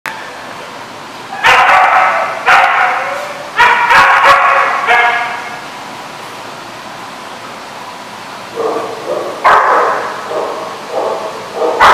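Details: Dogs barking in a lot on July 13, 2015: loud harsh barks in short clusters near the start, a quiet gap, then another run of barks toward the end.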